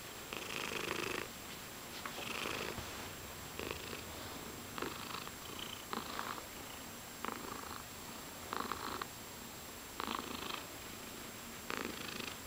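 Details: Pet cat purring contentedly under chin scratches, the purr rising in gentle pulses with each inhale and exhale about once a second, with a constant low background hum in a quiet room.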